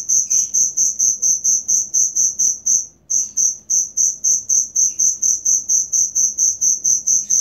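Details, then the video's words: Genuine cricket chirping offered as tutor material for songbirds kept by bird hobbyists: a high, shrill trill pulsed in rapid regular bursts, about two per second, with one brief pause near three seconds and faint low background rumble. "Suara Jangkrik asli"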